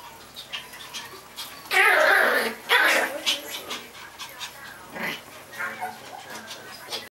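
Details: Pomeranian puppies: a burst of harsh, excited yelps and whines in the first few seconds, followed by softer scattered squeaks and snuffles with quiet human voices in the background.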